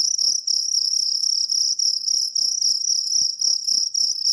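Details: Piercing high chirping of a jangkrik kalung cricket, a fast pulsed trill with slight dips in loudness, accompanied by soft tapping and rustling noises.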